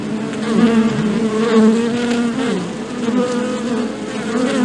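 A steady, low humming buzz of bee wings, wavering slightly in pitch throughout.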